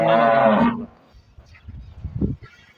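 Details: Cholistani Jersey cross cow calls once with a loud, harmonic moo lasting under a second, followed by quieter low rumbles and faint background noise.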